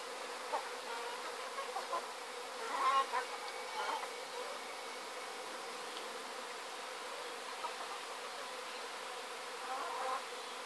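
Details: Honey bees swarming from a hive in Sydney in 2012, giving a steady broad buzzing hum with a few louder swells and faint higher tones drifting through.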